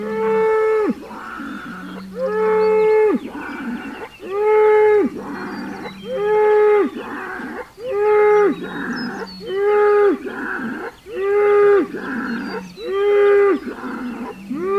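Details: Hereford bull trading calls with a neighbouring Hereford and an Angus bull under 100 yards away, June 17, 2023; loud strained bellows repeated roughly every two seconds, each a steady harmonic roar with low grunting between, faint birds behind.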